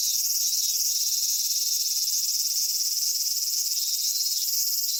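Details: Cicadas singing on a Japanese summer day at Michinoku Folk Village and Kitakami Tenshochi in Kitakami. The chorus is a dense, steady, high hiss that fills the whole clip without a break. A single faint click sounds near the middle.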